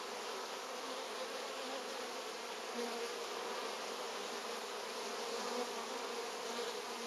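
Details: Honey bees at hive number 3 bringing in pollen during August, a continuous loud buzzing hum of many bees with slight swells in intensity and no pauses.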